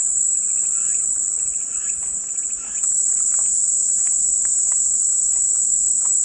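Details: Cicada buzzing for relaxation: a sustained high, hissing drone that swells slightly near two seconds, then steadies, with faint clicks and short chirps scattered behind it.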